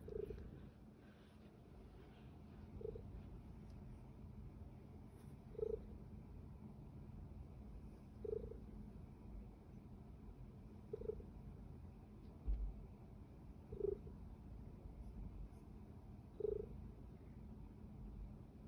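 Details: Small pet kitty purring: a low, steady rumble runs throughout, with soft, brief tonal pulses recurring roughly every two to three seconds.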